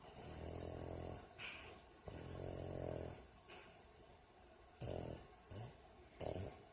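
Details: Female dog sleeping and snoring like a person, lips moving at times as if talking in a dream; long buzzing snores of about a second each, followed by shorter snorting breaths.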